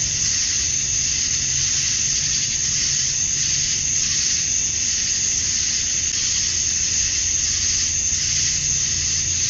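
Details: Summer dusk in Georgia, USA, filled with the courtship chirping of male cicadas: a steady, shimmering high buzz with soft rhythmic swells every second or so and a quiet low rumble underneath.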